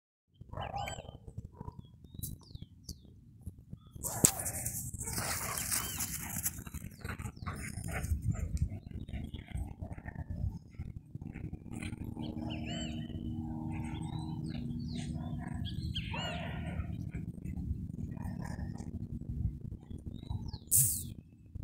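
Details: Dobermans play-fighting, the game quickly turning into a real fight that settles again; rough low growls and scuffling fill the recording, with sharper snarling bursts near five seconds and a faint high bird chirp.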